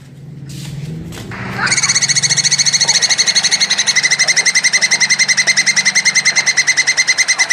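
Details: Plantain squirrel (tupai kelapa) giving a mating call, described as vigorous and long-winded: after a soft low start, a fast, steady run of sharp, bright chattering notes repeats without pause for several seconds.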